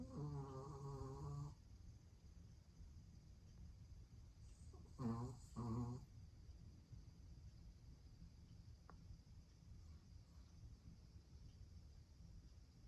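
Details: Shih Tzu and Pomeranian mix dog snoring: a buzzy, harmonic snore lasting about a second and a half opens, then two shorter rasping snores close together near five and six seconds, with steady low indoor hum between.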